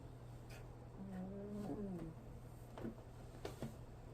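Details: A sleeping puppy lets out a nasal, whistled snore that holds steady, then bends downward and fades. A low constant hum and a few soft clicks sit underneath.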